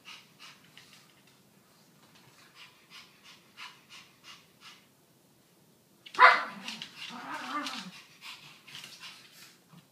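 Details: Brussels Griffon dogs at playtime, one energetic dog goading another into play; a run of soft pattering thuds, then a sudden sharp bark followed by a burst of growly, whining play noises that fade into quieter sounds.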